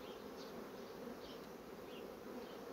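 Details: Buzzing of a fast-growing honey bee colony: an unbroken low droning hum from many bees, steady throughout, with scattered faint higher whines of single bees passing close.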